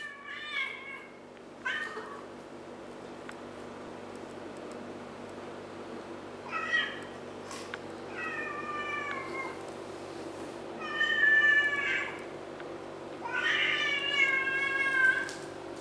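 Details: Kittens Brown and Pepsi fighting for rank in the family cat hierarchy, trading about six drawn-out, harmonic meows and wails, some wavering or bending downward, spaced a few seconds apart over a steady low indoor hum.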